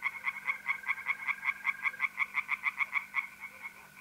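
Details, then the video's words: Tree frogs singing in a pond on an April night in north-east Italy: rapid harsh croaks repeated about four times a second, over a steady high trill from mole crickets. "relaxing singing tree frogs in pond and trilling mole crickets by night"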